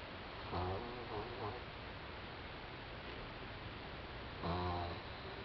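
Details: Doudou, a four-month-old French Bulldog, snoring while asleep: three short throaty snorts close together, then quiet breathing, then a longer rough snore near the end, over steady background hiss.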